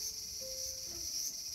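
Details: Garden cicada recorded August 5, 2020, giving a continuous piercing buzz at constant pitch and loudness, with a brief faint tonal whine in the background.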